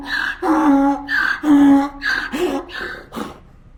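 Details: A donkey brays, alternating wheezy high in-breaths with deeper, tonal out-breaths in a rocking hee-haw.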